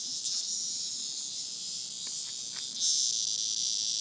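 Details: Cicada held by a dog as a plaything, its life nearly over; continuous high, dry buzzing drone throughout, growing a little louder in the final second, with faint soft clicks in the middle.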